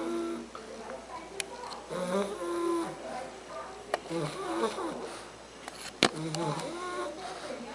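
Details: Three-month-old Bulldog puppy named Argus asleep indoors, snoring in uneven wheezy breaths with soft whistling overtones and occasional sharp clicks.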